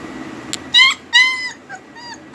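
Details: Home-bred German Shepherd puppies, heavy-boned with double coats, whimpering: high, thin whines and yips, each under half a second, rising then falling, several in quick succession over a faint steady hum.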